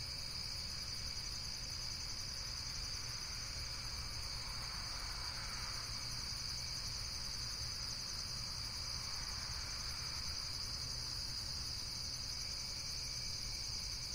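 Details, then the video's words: Insects calling in a natural setting: an unbroken, high, shimmering trill chorus, with a soft midrange whoosh swelling briefly twice, and a steady low background rumble. "Various Nature & Insects Sounds"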